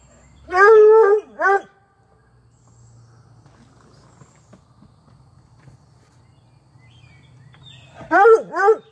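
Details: A female Treeing Walker Coonhound puppy gives loud, yelping barks in pairs with quiet pauses, apparently after a Whippet took her toy; recorded May 28, 2022.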